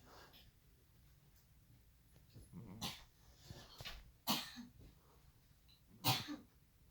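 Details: Russian Blue cat snoring while asleep in an awkward position: short, breathy, broadband snorts roughly every one and a half seconds, quiet overall, with a soft low rumble between breaths.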